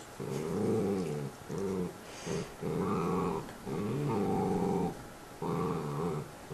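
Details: Two house dogs with bones, growling at each other: deep, harmonically rich growls in long rolling bursts of one to two seconds, repeated with brief gaps, some rising in pitch, in a small room.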